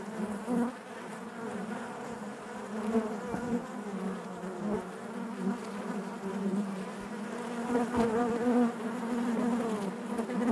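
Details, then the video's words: Inside a hive, honey bees keep up an unbroken low buzzing drone, rich in overtones, rising and falling gently in loudness over ten seconds. "bees therapy hive natural buzzing sound"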